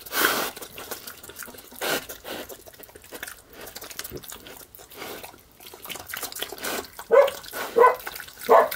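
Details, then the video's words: Piglet eating slop: steady wet slurping, smacking and dripping noises throughout, then three short, sharp barking grunts in the final two seconds, spaced under a second apart. "Piglet is eating and barking."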